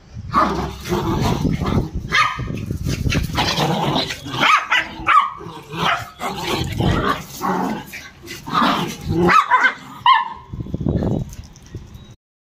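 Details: Playful dog with a child, growling and snarling continuously in low, gritty bursts mixed with occasional higher yips and barks, the rough play noise running for about twelve seconds before stopping abruptly.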